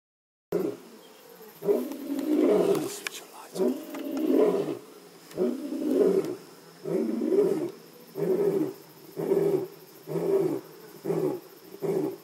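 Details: A lion (Panthera leo) at Jejane Private Nature Reserve, South Africa, roars: deep, moaning calls that shorten into a fast series of grunts.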